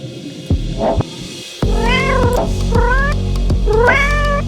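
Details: Domestic cat giving three drawn-out meows, each rising and then sliding down, spaced about a second apart, with steady background music and a few soft thumps before the first meow.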